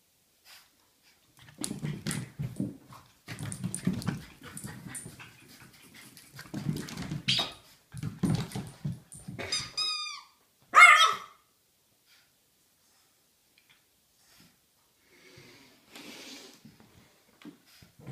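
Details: A French Bulldog puppy of about four months, playing at home, snorts and grunts in rough bursts, then gives a few sharp, high yips.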